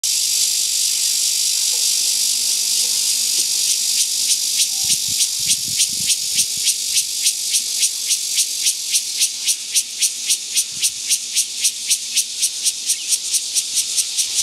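A cicada gives a harsh, hissing drone broken into rapid rhythmic pulses.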